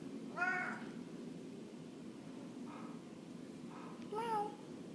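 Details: A male Blue Mink Tonkinese cat that seeks attention gives several meows, two loud and clear and two softer in between.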